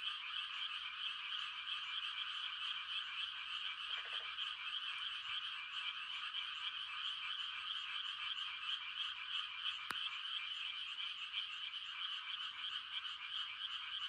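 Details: Frogs calling to mate on a still country night in rice-planting season, a constant high croaking chorus, a single brief lower croak burst and one sharp click partway through.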